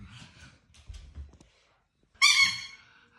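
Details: A pug, apparently reacting to a squeaking noise, gives a single sharp, high-pitched nasal whining cry tapering over about a second, after soft rustles and small bumps in a quiet indoor space.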